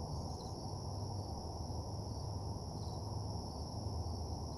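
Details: Steady night-time cricket chorus by a deserted parking lot, a thin continuous high trill with slight pulsing, backed by a strong low droning rumble.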